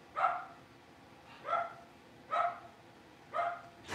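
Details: Blenheim Cavalier King Charles Spaniel puppies, a litter of five born at New Year, barking in their home puppy pen: four high, bright yaps spaced about a second apart, ending with a sharp knock.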